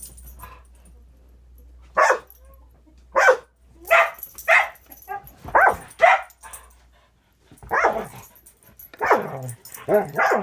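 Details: Angel, a six-month-old Border Collie mix in foster care with Wisconsin Border Collie Rescue, plays with another dog, Cisco; after a quiet two seconds, sharp barks come in short bursts roughly every second, some doubled, with a faint low hum underneath.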